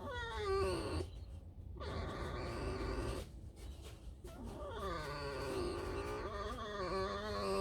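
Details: Resting female fox in a mood to scratch herself and squeak after a night out digging holes; several wavering, harmonic squeaks and whines, some sliding up and down, separated by brief gaps.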